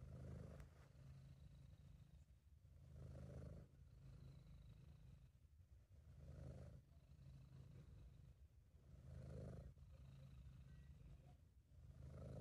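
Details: Relaxed, happy purring from Sabu, a British Shorthair cat: a rhythmic deep rumble pulsing with five or six breaths, each swell roughly every two and a half to three seconds, amateur recording.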